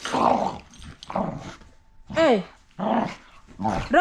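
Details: Two rescue dogs playing rough with each other: bursts of rough growling alternate with short, high whining yelps that bend up and down, spaced about a second apart, with quiet gaps between.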